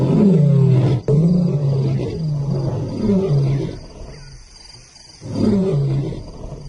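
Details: Two intimidating newcomer lions roar on Simba's turf, an insult in another lion's territory; deep, low, grunting roars repeated in a series of pulses, each rising then falling, with a quieter pause before a final burst.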